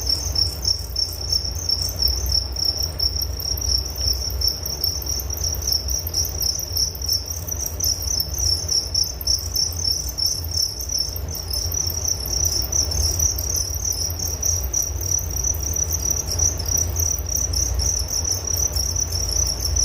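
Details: Crickets chirping as a relaxing night-time nature sound: a steady, high, ringing trill of rapid pulses that runs unbroken, with a soft low rumble underneath and no other voices.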